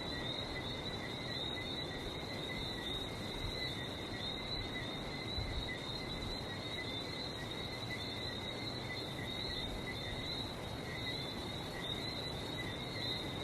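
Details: Continuous frog chorus recorded on a trip to Barbados: many callers blend into an even, shrill ringing at two steady pitches, backed by a constant low wash of surf.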